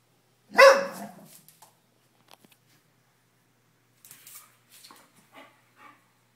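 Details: Female bull terrier Sadie, jealous because Nala the Pomeranian has taken her bone, gives a single forceful bark, then faint shuffling, clicks and soft movement sounds indoors.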